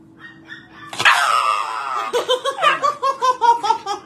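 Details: A dog reacting to an injection: a loud drawn-out cry falling in pitch, then a fast series of short yelping whines, about five per second, over a faint background hum.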